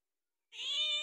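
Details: Pet cat calling for food, a single meow starting after a half-second of silence, bright and harmonic, held steady to the end.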